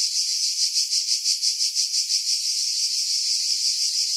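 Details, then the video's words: Pine-dwelling cicadas at Pefkos Bay on Skiros, Greece, in July 2018, recorded on a Sony RX3 with external mic: a dense, hissing high-pitched drone with rhythmic swells that blur into a steadier buzz toward the end. "Cicada Sounds, July 2018 Skiros, Greece"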